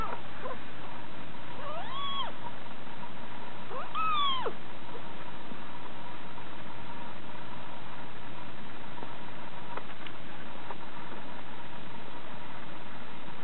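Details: A six-week-old Scottish Fold munchkin kitten, female, gives two short plaintive meows early on that rise, hold, then drop, followed by quiet with only a steady background hum and occasional faint clicks.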